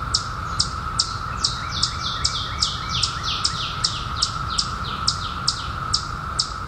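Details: Steady single-tone buzz of periodical cicadas during the 2021 emergence that followed 17 years underground. Busy high bird chirping runs over it, sliding downward, about two per second, with softer overlapping calls near the middle.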